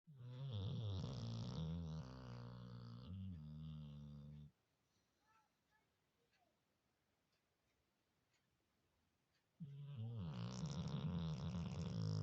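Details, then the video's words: Sleeping Labrador Retriever snoring very loudly, like a human; two long low rumbling snores with a buzzy rattling texture, separated by about five seconds of quiet indoors. "Лабрадор храпит как человек.Очень громко"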